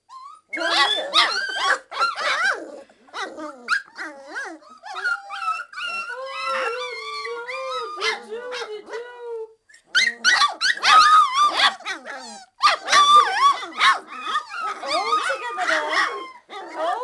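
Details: Hungry three-week-old Old English Sheepdog puppies calling for their mother's feeding; a busy chorus of high, wavering whines, yelps and squeals from several pups, with a steady drawn-out whine near the middle and dense overlapping cries at the end.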